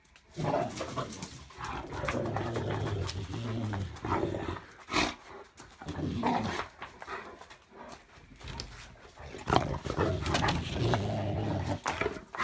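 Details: Great Pyrenees named Alan romping indoors at home after a long time away: low, rumbling, grumbling growls with harmonic tones, in bursts across the recording, mixed with thumps and scuffling of play in a small room.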